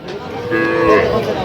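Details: Cattle at a cattle market in Faridpur where small bulls and heifers are sold; a single drawn-out low moo with layered harmonics, lasting about a second, with market chatter around it.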